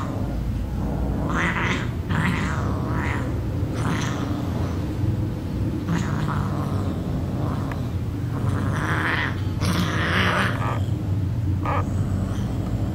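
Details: Cats in a fight on a bed at home, trading repeated short harsh yowls, spits and growly bursts every second or two, with a loud steady low rumble underneath throughout.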